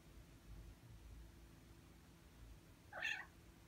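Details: Ragdoll cat of six months, blocking the monitor during typing work, lets out a single short, high meow near the end after a stretch of soft room rumble.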